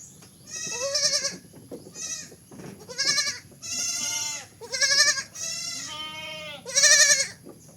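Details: Repeated bleats from a baby goat, about one every second, each a bright nasal wavering cry lasting under a second, some cracking upward, against a faint steady background hum.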